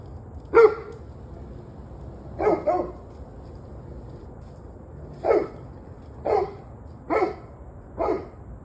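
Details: Dog barking on 21 November 2023 at 7:06 pm: seven short, sharp barks. A lone bark comes first, then a quick double, then single barks roughly a second apart, all over a low steady background hum.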